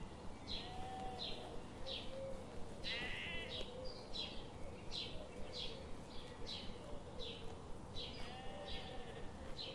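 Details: Grazing sheep in a forest on a sunny morning give a quick run of short nasal bleats, several overlapping, with one longer wavering bleat midway, set against steady low ambient noise.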